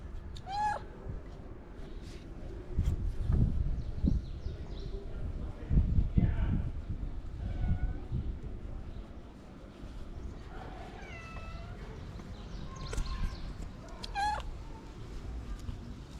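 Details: Ginger street cat with a long mustache begging for love and food: a series of short rising-falling meows spread through the clip, mixed with low thumps, rustling and a murmuring voice.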